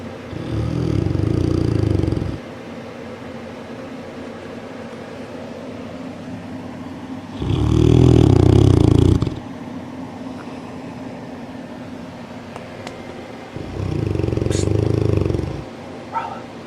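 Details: Dogue de Bordeaux (French Mastiff) sound asleep and not waking, snoring very loudly: deep, rumbling, harsh breaths about two seconds long, three of them, spaced roughly six seconds apart, with a steady low hum between.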